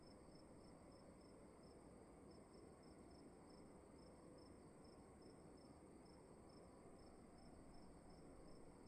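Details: Night crickets in a dark room, their thin high pulses ticking evenly throughout, softly heard above a steady low-pitched background hiss.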